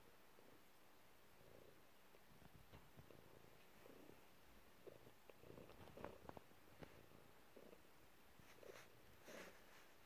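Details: Calm house cat indoors giving a soft, low purr in rhythmic pulses, with occasional small rustles and taps near the end.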